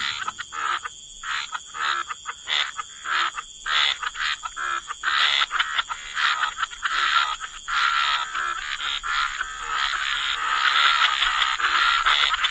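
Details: A chorus of wetland frogs starts as spaced harsh croaks about every second and builds into dense, continuous overlapping croaking, accompanied by a steady high hiss.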